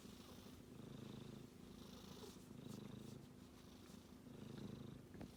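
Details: Sleeping kitten giving a gentle, throaty snore, low pulsing rumbles repeating in slow breathing cycles of around two seconds, with a few tiny clicks near the end.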